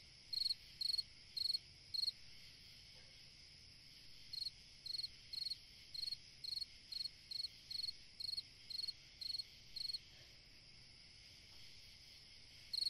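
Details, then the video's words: A single cricket chirping through a summer night, its bright high pulsed chirps repeated roughly twice per second in runs separated by short silences, with a soft continuous high-pitched background hum. "Chant d'un grillon dans une nuit d'été / Singing a cricket in a summer night"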